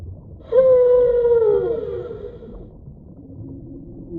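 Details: Whale call: one clear tonal cry with bright overtones that starts abruptly, holds steady, then glides downward over about a second and a half, followed by faint low moans.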